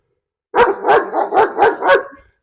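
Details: German Shepherd at a house in Perumbavoor, Kerala, India, provoked by a stranger in a bite challenge; a rapid series of five loud harsh barks about a third of a second apart, trailing off.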